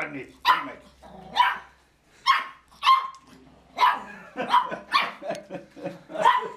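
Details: A dog barking in a series of sharp, clipped barks, about one per second at first, then quicker and closer together toward the end, with sharp yelping tones.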